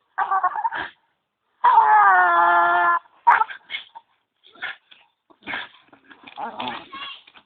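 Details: Strange noises from Zeus, a dog at a tree: a short whimper, then a sustained, high, crying whine over a second long, followed by scattered quick yips and soft whimpers.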